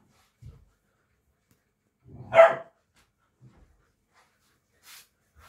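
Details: Komondor puppies: a single short, sharp bark rises out of near silence, preceded and followed by faint low grunts and small rustling sounds indoors.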